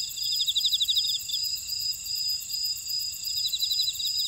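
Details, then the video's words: Insect chorus from a buckwheat field in Ora-dong, Jeju City, South Korea: dense high trills and a ringing steady tone, with a quick rattling chirp sequence at the start and another near the end. "제주 메밀밭의 풀벌레 소리"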